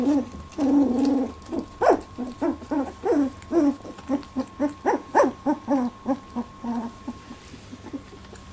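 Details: Labradoodle puppies, 18 days old, squabble over milk in their first milk fight, making a rapid series of short, high, harmonic squeaks and yips about every half second that taper off toward the end.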